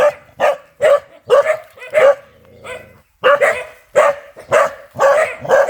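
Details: Fierce dog barking: loud, harsh barks repeated roughly twice a second in an uneven series, with a short lull near the middle before the barking resumes.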